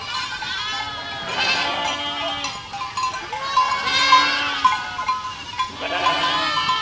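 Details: Walking flock of goats in a village gives repeated drawn-out bleats about once a second, several voices overlapping, each call quavering and fairly even in pitch.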